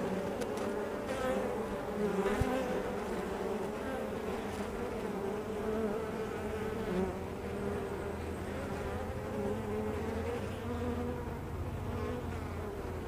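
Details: Many honey bees buzz at a hive entrance, making a continuous, thick hum of overlapping wing tones that waver up and down. A sharp tap is heard near the start; otherwise the droning hum is the only sound.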